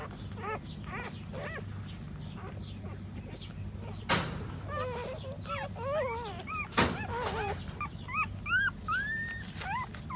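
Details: Several puppies nursing while their mother stands; short high squeaky whines come in scattered bursts, with a couple of sharp thumps and low background hum.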